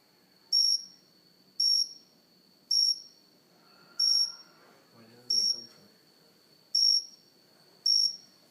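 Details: Cricket chirping at close range on a house plant indoors, steady short high pulses about once a second, with brief quiet speech in the middle.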